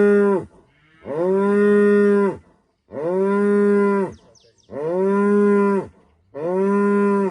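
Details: Female cow in rural Rwanda greeting the morning at sunrise with long, deep moos. Four drawn-out calls of about a second and a half each, separated by short pauses, steady and resonant, with no other clear sounds.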